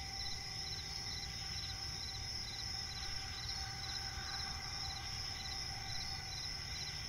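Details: Cricket chirping in a night forest by a swamp, pulsed chirps about two or three per second riding on a sustained high-pitched ringing trill, low ambient rumble below.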